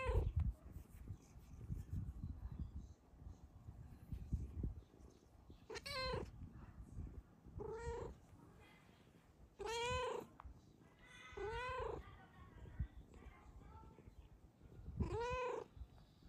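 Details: Pet female cat, happy while resting on her sleeping owner, repeats five wavering, tremulous meows every two to three seconds, with a soft purr underneath in a quiet room.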